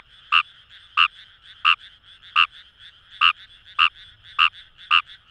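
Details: Wild Fejervarya kawamurai in rice fields at Itoshima, Fukuoka: eight evenly spaced, bright croaking notes about two-thirds of a second apart above a soft, continuous chorus of more frogs.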